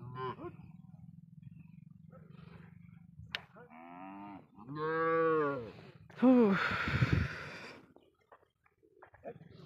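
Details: Cattle said to have been smuggled across the Indian border, kept on a char of the Padma river: a low droning moo in the middle, then a louder, harsher bellow, with voices and a background hum around them.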